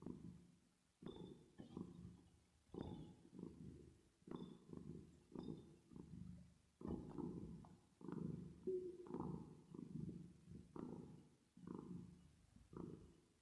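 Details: Purring cat at rest, sleeping, reverb applied: a continuous low vibrating rumble broken into regular inhale and exhale surges, now and then a faint higher tonal hint on top.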